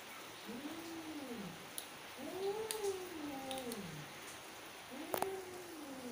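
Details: Angry mother cat giving three long drawn-out arching wails, each rising then sliding down over about a second, with a few faint clicks and soft background hiss.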